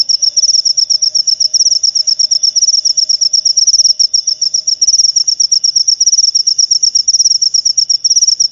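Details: Cricket chirping, played to scare off rats and to lure lovebirds: a shrill, high-pitched pulsed trill repeating rapidly and steadily without pause, with a faint low hum underneath.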